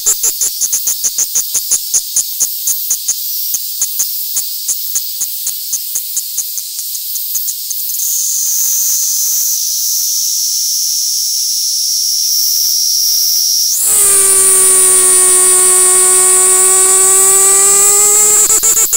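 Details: A hand-held Kaempfer cicada (Platypleura kaempferi) in Tokyo, Japan, on August 3, 2021, sings rapid, high, buzzy pulses that merge into a continuous shrill drone.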